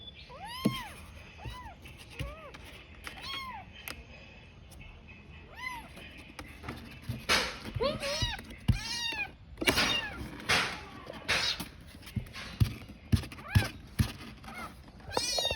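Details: Tiny kitten calling out desperately while searching for its mother; repeated arched meows, clear at first, then overlaid by loud rustling, bumps and handling noises in the second half.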